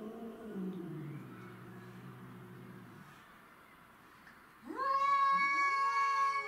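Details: Domestic shorthair cats, Tom, Mimi and a grey-and-white neighbourhood stray, fighting to defend territory: a low droning moan fades away, then a sharp, bright, high yowl breaks in and holds steady.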